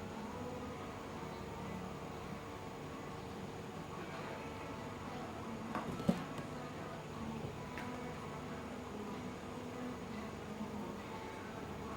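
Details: Quiet indoor room tone with a low hum, faint hiss and a single sharp click near the middle, no animal calls.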